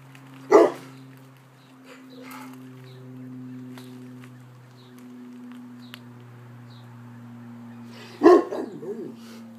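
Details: A Rottweiler guard dog on alert at a passing ambulance siren gives a single sharp bark, then another bark with a short whine about eight seconds later, over the steady wail of the siren.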